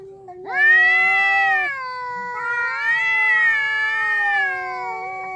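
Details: Two ginger stray cats in a territorial standoff, one giving a long drawn caterwauling howl: a strained, wavering nasal wail that swells, dips, then rises again in a sustained moan, with a low steady hum beneath.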